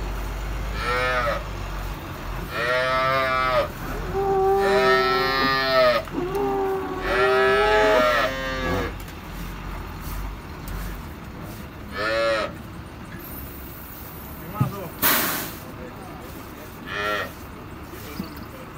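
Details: First-calf dairy cows with good milk production, recorded on Thursday 4 April 2024, giving loud drawn-out moos in a series of long harmonic calls, several back to back, then shorter moos spaced out, with a sharp knock near the end.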